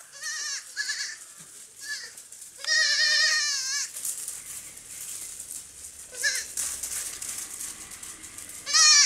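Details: Playful baby goats jumping on a farm; bursts of tremulous, wavering bleats, one long loud call around three seconds, others shorter and spaced out, with soft rustling between.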